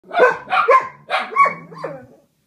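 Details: Two pet dogs singing together, one taking an intense solo while the other adds harmony; about five short, wavering yowls with sliding tonal notes, closely spaced and overlapping within two seconds, with no other sounds.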